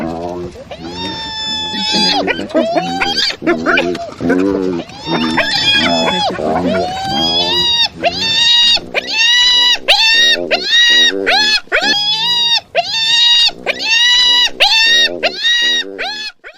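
A hyena gives a string of strained, rising calls that level off into a nasal, whining tone.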